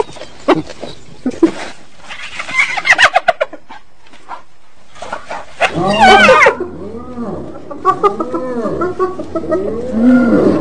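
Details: Hyena giving a series of arching, harmonic calls, repeated roughly every second in the latter half, after scattered clucking and clicking sounds at the start.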